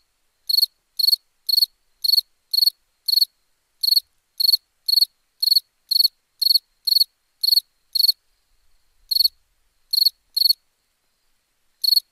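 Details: Crickets chirping at nighttime: short pulsed chirps centred high, about two per second in a steady run, then a pause and a few scattered chirps; no other sounds.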